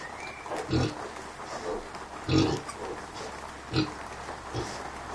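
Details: Kunekune sow with her 5-day-old piglets; deep low grunts spaced every second or so, three stronger ones standing out over a steady rural background hum.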